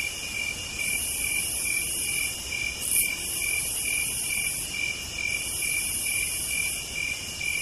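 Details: On a southern night, cicadas sing a high hissing buzz that swells and fades over a steady pulsed trill.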